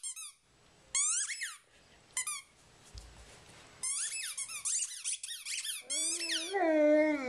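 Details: Rhodesian Ridgeback dog singing a tune: bursts of high, squeaky, whistle-like whines sweeping up and down, then a longer, lower, wavering moan to finish.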